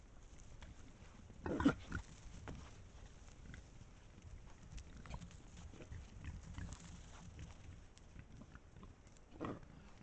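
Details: A pack of wild boar at a sand spot in Estonia, filmed by a trail camera, grunting low and soft, with a couple of sharper snorts breaking through.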